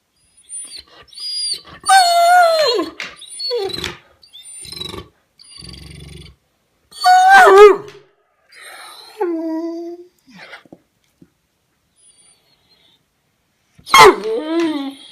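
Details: Male Weimaraner dog on a sofa, vocalising to demand attention when ignored, with noises likened to a horse: drawn-out wavering whines and moans that rise and fall in pitch, coming in separate bursts over about fifteen seconds, with brief quiet gaps between them.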